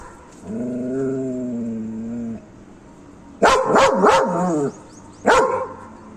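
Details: Guard dog giving a long, even growl, then breaking into a flurry of sharp, harsh barks and a final single bark.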